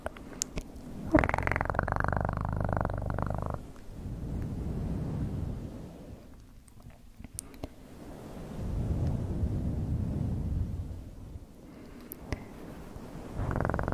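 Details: Purring cat heard close up: a strong rumbling bout early on, then quieter wavering purring with occasional sharp clicks, and a loud burst of purring again at the very end.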